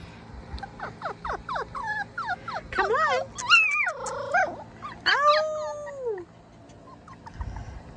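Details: Female Basenji-Sheltie cross puppy making 'Basenji talk' while near stairs; a string of short rising yelps, then longer warbling yodel-like calls that bend up and down, each about a second, with a woman's voice speaking softly at times.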